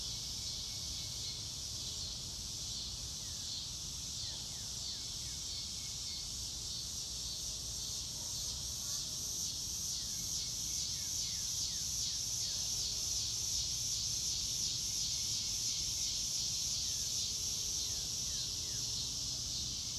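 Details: Massed crickets singing on a fine blue-sky day in grass, real-time natural sound with no music: a rapid, rhythmic high-pitched pulsing that swells slightly midway, plus scattered short falling bird calls and low background noise.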